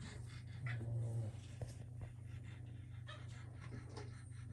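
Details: Playing Boston terrier puppies with an enrichment wobble disk: a short, deep growl rumbles for under a second, followed by light panting and scrabbling noises over a constant low hum.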